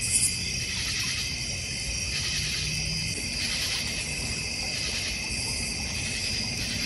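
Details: An unbroken cricket chorus fills a backyard in the North Georgia Mountains, near a koi and goldfish pond. The high buzzing drone has a gentle pulsing rhythm, with one brief sharp chirp at the very start.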